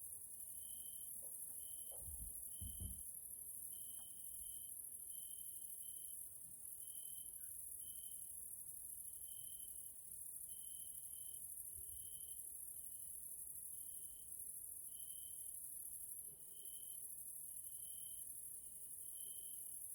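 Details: Grasshoppers (Caelifera) sounding in the evening in a nature area of Hungary, Central Europe: an unbroken high insect shimmer with brief clear tonal pips repeating about every second, and a few low thuds early on.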